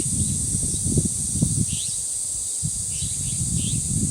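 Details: Cicadas droning at the Dangsan shrine grove of Deoksan village: a steady, high, hissing buzz held without a break, with gusts of wind rumbling low and a few short bird chirps rising above.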